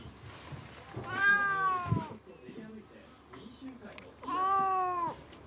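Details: House cat calling out after noticing a white stray cat passing near the home: two long, drawn-out harmonic meows, each about a second, falling slightly in pitch, with a woman's soft speech between them.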